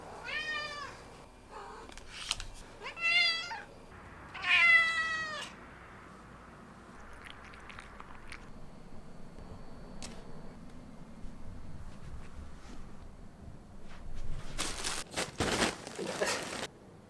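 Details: A female blue point bicolor Ragdoll cat gives three quick meows in a row, the last one longest and bending down in pitch. Quiet follows, then bursts of rustling and handling noise.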